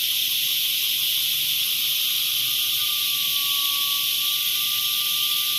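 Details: Cicada chorus as a constant, piercing hiss, joined midway by a steady, thin whistle-like tone that continues to the end.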